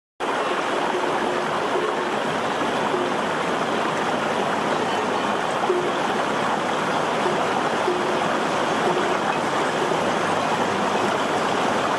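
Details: Steady rushing of flowing river water fills the whole recording, with no animal calls heard.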